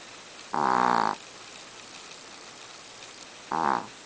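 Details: Small Chihuahua in deep sleep snoring: one long, buzzy, harmonic snore lasting about half a second, a pause of over two seconds, then a shorter, fainter snore at the end.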